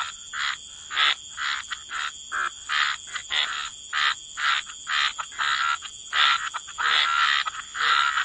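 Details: Frogs croaking near water, a run of separate raspy bursts, roughly two per second, fairly even in loudness and pitch, against a steady high-pitched insect drone.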